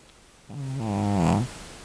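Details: Devlin, a domestic cat estimated over 12 years old, described as an elderly female, gives one rough, low, buzzy snoring breath lasting about a second and rising slightly in pitch, indoors in a quiet room.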